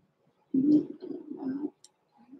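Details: Newborn blenheim Cavalier King Charles Spaniel puppies, born November 14, 2022, in an indoor puppy pen overnight; a low crooning whine with a rising note, then softer murmuring grumbles, in a quiet small room.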